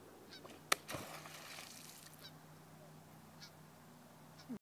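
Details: Beaver slapping its tail in a pond at a golf course in Vancouver, BC, in late May, after being followed. One sharp loud crack is followed by a short splashing burst, then quiet with a low hum and a few distant chirps.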